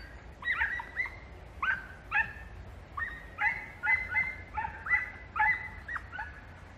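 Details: Podencos hunting through bramble in Campo Arañuelo; distant, high, ringing yelping barks in short bursts of two or three, repeated about every second with brief gaps, over a faint low rumble.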